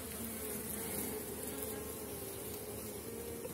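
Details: Honey bees from a strong colony at the end of the season, heard during a hive inspection with frames of capped brood and eggs: a steady, dense hum with faint whining tones around the middle register.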